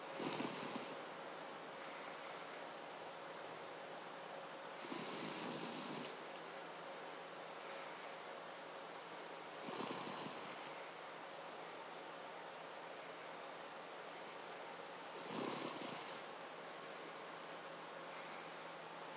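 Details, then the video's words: Cavalier King Charles Spaniel snoring indoors, breathy broadband rasps recurring roughly every five seconds, each lasting about a second, with quiet pauses between. "Cavalier King Charles Spaniel - Snore"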